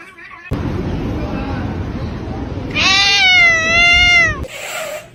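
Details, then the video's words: Cat giving one long, loud, wavering meow of about a second and a half, strongly tonal with rich overtones, after a stretch of rumbling noise, followed by a brief noisy burst. "cats meowing"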